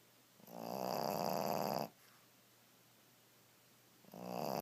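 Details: A Pekingese napping on a bed snores with a loud, raspy, vibrating rattle on each breath; each drawn-out snore is followed by a brief quiet gap before the next begins.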